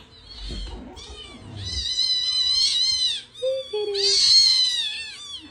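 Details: Domestic cat giving long, drawn-out, high wavering yowls with rich harmonics, two sustained cries separated by a brief dip, plus faint low thumps early on.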